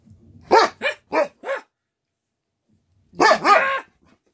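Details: Canadian Eskimo Dog barking for attention: a quick run of four yelping barks, a pause of over a second, then two longer, drawn-out howling barks.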